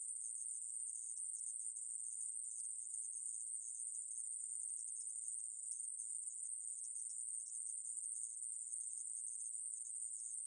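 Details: A 2020 National Institute of Biological Resources recording of a conehead katydid (애매부리) producing a sustained, monotonous, very high buzz without pauses, level and clean, with no other sounds.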